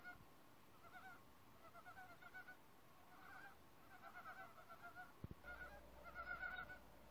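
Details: Several forest frogs trading calls in a chorus: quick runs of bright, nasal pulses, some overlapping, rising slightly louder near the end, with a brief knock midway and a low background hum.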